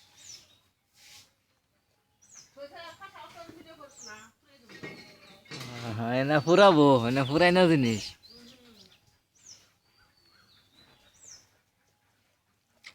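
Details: Baby goats, kids jumping about: a loud, long bleat with a fast quavering tremolo lasting over two seconds, after a few shorter nasal bleats, while high thin bird chirps sound faintly before and after.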